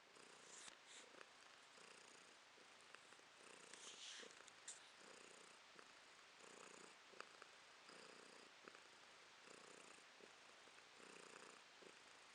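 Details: Female domestic cat purring in December 2022; a continuous low rumble pulsing in regular breath cycles under one second apart, clear and steady throughout, with a quiet indoor background.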